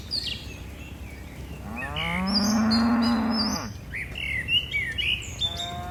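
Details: A long, drawn-out moo of nearly two seconds from a herd of tame cattle jumping down a mountain slope, steady and low with rich harmonics, surrounded by frequent bright bird chirps and twitters.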